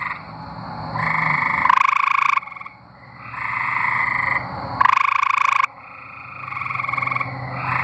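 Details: Tree frogs from Arkansas singing in a group, overlapping pulsed nasal trills punctuated by two loud, coarse buzzing bursts roughly three seconds apart, with short lulls after each.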